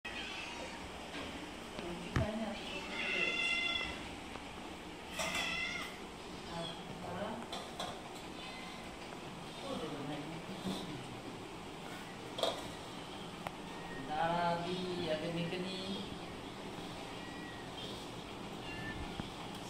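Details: Hungry house cats, part of a group of 22 kept at home, meowing for food in the afternoon while eating fried fish with rice; drawn-out, bending meows come in bursts with quieter gaps, under background voices and clatter.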